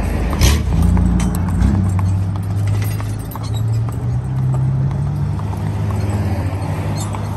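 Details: Hooves of a harnessed draft/Haflinger cross pair, a mare of eight and her four-year-old son, clopping unevenly while driven, with a loud low droning hum underneath and brief bursts of noise.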